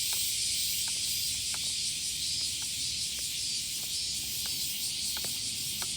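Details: Cicadas chorusing loudly in summer heat on a morning walk, with lows staying above 25 °C. A continuous shrill, buzzing wall of sound holds level throughout, and small ticking footstep-like clicks come roughly twice a second.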